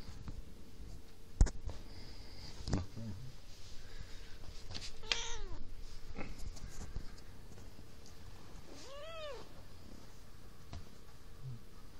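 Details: Domestic cat named Maci meowing indoors: a few short harmonic meows near 5 and 9 seconds, the latter arching up then falling, with scattered knocks and low room hum.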